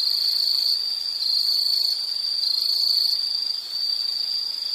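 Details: Insect sound from a nature recording: a constant shrill trill held at one high pitch, brief softer dips near the middle and end, no other clear sounds.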